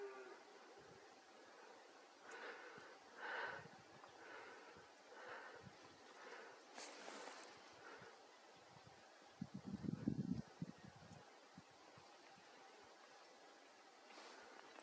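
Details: Unruly red deer stag during the rut in a forest of Bucegi Natural Park, Romania, showing off; a series of short, hoarse, harmonic bellows repeated about once a second, then a louder low rumbling burst, over steady background hiss.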